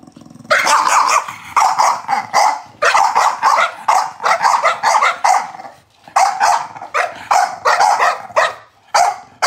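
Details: Chow Chow dog barking in rapid bursts, grouped into clusters of several harsh, broadband barks separated by brief pauses, continuing steadily for about nine seconds.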